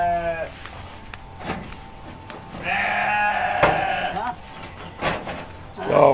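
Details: Goats in a pen calling out on a keeper's arrival, as if awaiting feeding: a short harmonic bleat at the start, then a longer wavering bleat mid-way, over a steady tone, clapping and talk.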